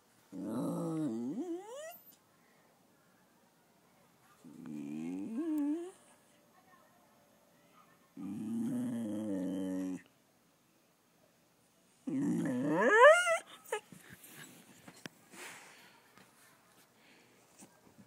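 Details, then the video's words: A small American Eskimo Dog vocalising indoors: four long whining, moaning calls with wavering, rising and falling pitch, each lasting one to two seconds with pauses between; the last call climbs high into a yelp, followed by faint rustling. "Bear making noises"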